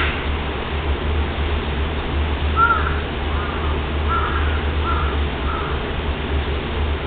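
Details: Tiger cub at Kyoto City Zoo, recorded 6 July 2010, giving five short, tonal mewing calls in quick succession over about three seconds, set against a steady low background hum.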